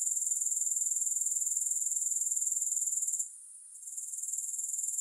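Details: Grasshoppers in a music-free relaxation recording produce a high rapid-pulsed trill that drops away for about half a second partway through, then builds back up.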